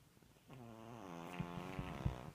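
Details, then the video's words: Gertie, a one-year-old, five-pound dog, snoring while asleep after too much fun opening presents; a single long, buzzy, droning breath with a low rasping tone that swells in loudness, with small clicks near the end. "Gertie Snoring - too much fun opening presents"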